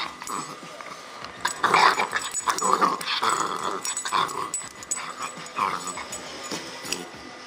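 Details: Bull terrier puppy Roscoe, aged 10.5 weeks, playing tug of war indoors; softer, breathy, wheezy growling in uneven short pulses over a steady background hiss.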